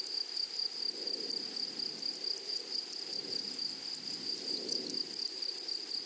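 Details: Meadow grasshoppers in a flowery prairie setting give a continuous shrill buzz at one fixed high pitch, pulsing faintly, with a fine ticking texture above and gentle low background murmur swelling and fading.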